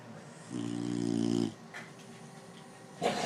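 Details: Dog snoring: one sustained, low, buzzy snore of about a second, then quiet breathing and a brief louder noise at the end.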